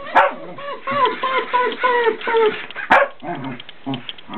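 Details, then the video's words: Fox terrier calling insistently to get someone out of bed late in the day, with a fast string of nasal, whining yelps, each dropping in pitch, between two loud sharp knocks. "the fox terrier says GET UUUP !!!!!"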